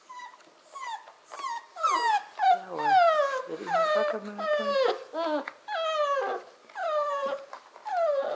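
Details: Korthals Griffon litter, 40 days old, with mother Djip, one pup still awake while the rest sleep: loud, repeated high whines and yelps sliding downward, roughly one per second, with a few low growly notes between.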